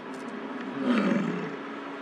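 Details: Male American bison during the rut in Lamar Valley, Yellowstone National Park, bellowing near a car while courting a female; one short, rough, low roar swelling and fading within about a second, over steady background rumble.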